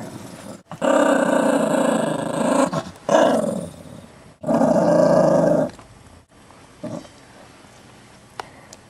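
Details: Chihuahua mix growling to act tough over a bone, well behaved and never having bitten anyone: three long, loud, raspy growls of one to two seconds each, separated by brief pauses, then a faint short rumble near the end.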